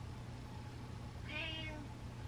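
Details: Butters the cat meowing while being petted: a single short, harmonic meow of about half a second midway through, over a steady low hum.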